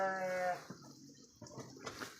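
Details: Large purebred Garut sheep, three years old, kept in a pen in Indonesia: one short, steady, harmonic bleat lasting about half a second, followed by faint pen noises and rustling.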